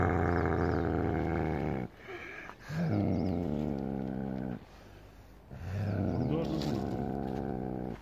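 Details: Angry snow leopard in Gilgit, Pakistan, giving deep, rumbling harmonic growls in three long bursts of about two seconds each, separated by brief quiet gaps.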